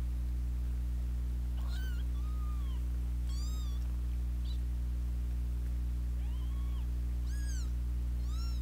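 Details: Squabbling pair of kittens with their older sister nearby: clear, bright, arched mews with strong overtones, about six spread across the stretch, set against a droning low hum.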